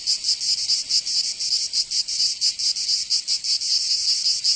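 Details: Summer cicada chorus from Provence in the south of France, a shrill high-pitched buzz throbbing in quick uneven pulses, continuous and unbroken, nothing else audible.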